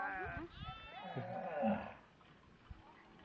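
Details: Domestic sheep on a small Indonesian cattle and sheep farm, giving wavering, harmonic bleats through the first two seconds, overlapped by people talking nearby, then a quieter stretch with a single click.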